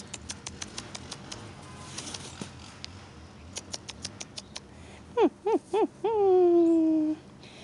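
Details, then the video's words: Giant Alaskan Malamute puppies playing in the snow: a run of light patter and clicks, then three short arched yelps followed by a drawn-out, slowly falling whine, all fairly low in pitch. "Giant Alaskan Malamute puppies playing in the snow"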